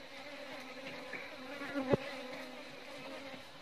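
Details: Asian honey bee (Apis cerana indica) giving a steady, low droning hum with a layered tone, holding even throughout, broken once near the middle by a short sharp click.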